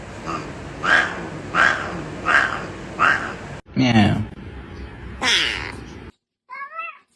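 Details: Domestic cat making various strange sounds: four short nasal calls repeated roughly every 0.7 seconds, then a harsh drawn-out yowl, a rising wavering wail, and a brief high meow at the end, indoors with background noise.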